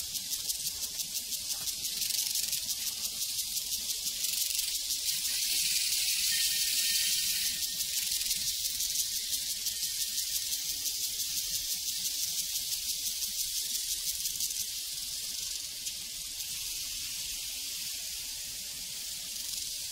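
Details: High, shimmering chirps from many crickets on a prairie form a continuous pulsing wall of sound. The chorus grows louder in the middle and fades a little toward the end.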